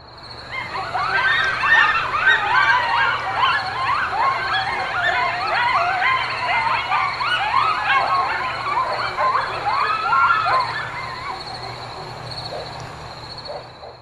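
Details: Coyote (Canis latrans), howls and yips.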